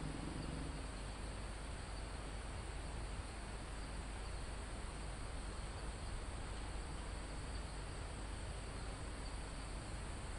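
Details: Crickets and other insects in a calm forest almost at the top of a mountain, live recording: a steady, unbroken high shrill drone runs throughout, over heavy low rumbling wind on foliage and trees.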